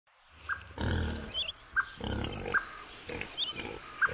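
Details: Wild boars, adults with young piglets, in Belovezhskaya Pushcha, Belarus, on 4 March 2014. Deep, broadband grunting snorts come in several rough bursts. Small high bird chirps sound between them.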